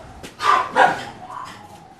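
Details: At an animal rescue shelter crowded with dogs, a dog gives two sharp, mid-pitched barks about a third of a second apart, followed by fainter, softer sounds in the background.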